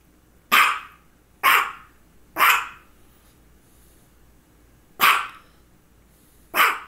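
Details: Female dog barking between two focal seizures, one just before and one shortly after: five sharp, loud barks at uneven intervals of about one to two and a half seconds, followed by a person telling her to sit.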